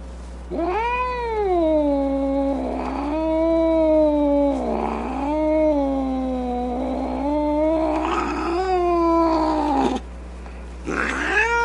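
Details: Upset domestic cat moaning and snarling in a series of long, rising-and-falling yowls. Each lasts two to three seconds and is separated by short rough, growly breaks, with harsher strained notes near the end.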